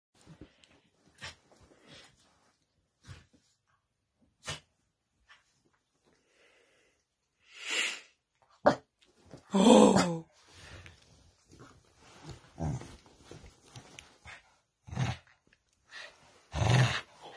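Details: A female corgi snorts, huffs and gives a short rough growl in bursts while playing tug-of-war with her dog bed, with rustling between.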